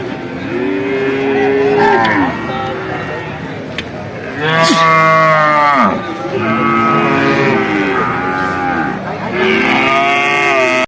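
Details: Bull calves at the Vaniyamkulam cattle market lowing in a series of drawn-out, harmonic moos, several overlapping bellows rising and falling over about ten seconds, with low market murmur beneath.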